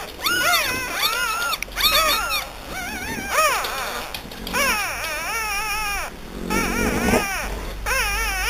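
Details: Whining French Bulldog puppies from Hungary: clusters of high, bending whimpers that swoop up and down, coming in bursts of two or three with short gaps, several voices overlapping.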